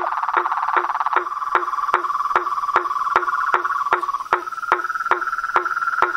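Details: Toads, frogs and treefrogs calling in nature: a sharp knocking call repeats about every 0.4 seconds over a continuous mid-pitched trilling drone that rises slightly toward the end.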